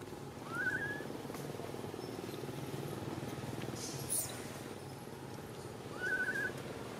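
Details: Jinx, a baby Temple Monkey in Cambodia, stuck up a tree and calling for mom: two upward-sweeping whistled cries, one near the start and one near the end, separated by a long gap of background hum.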